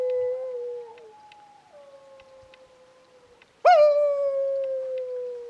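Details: Wild dog howling on a ridge near camp at 2am on a freezing July night. A sustained, even howl that dips and fades, followed by a sudden loud howl that rises sharply then holds a long, slowly falling tone.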